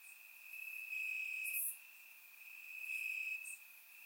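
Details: Warm summer night in Bulgaria with crickets chirping in grass: a continuous high thin trill swells louder twice, with one sharp bright chirp near the middle.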